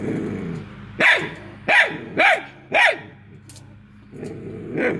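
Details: Hounds baying while trying to catch an escaping squirrel: four sharp barks in quick succession roughly every half second, then a pause and a softer, more distant bark, with a low humming drone underneath.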